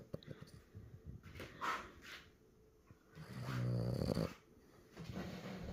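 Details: Sleeping French Bulldog puppy with soft snuffling breaths, then a longer, louder, rattling snore with a buzzy, vibrating tone. An indoor room hush lies underneath.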